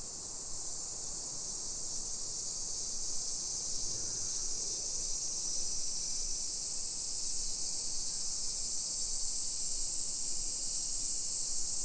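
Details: Summer cicadas shrilling in a modern hillside residential neighborhood of Nisshin, near Nagoya, Aichi Prefecture, Japan, at 1 PM on 28 July 2021: a steady, dense, high-pitched hiss holds unbroken throughout, with faint low street rumble beneath.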